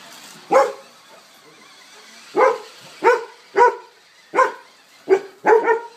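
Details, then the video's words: Two Golden Retrievers battling a remote-controlled car, barking at it: seven sharp, loud barks at irregular intervals, a single one, then a pause, then quicker runs of barks. "Golden Retriever VS. Rc car"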